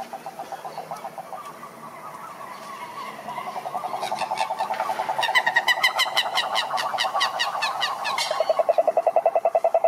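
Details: Toads croaking, a sound males make to attract females: overlapping rapid pulsed trills at mid pitch swell in loudness, with a dense burst of clicking pulses midway and a steady fast trill at the close.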